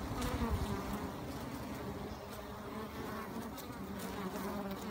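Honey bees hum in a steady, low, dense drone, many wingbeats blending into one continuous buzz.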